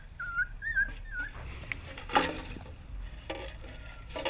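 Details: Wheaten Terrier puppies playing with red Solo cups: three short, high, wavering whimpers in the first second and a half, then a sharp clattering knock and soft rustling as they play.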